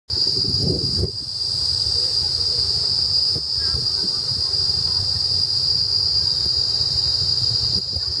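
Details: Chremistica umbrosa cicadas in Singapore on 1 April 2012, sucking sap and squirting, keep up an unbroken high-pitched shrill drone, steady from start to finish, with a brief low thump of handling noise near the beginning.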